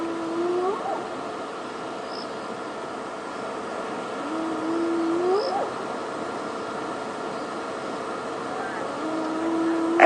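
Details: Hyenas at night at Djuma Game Reserve, February 20, 2016, give long, low whoops that slide upward in pitch, repeating every few seconds over an idling engine.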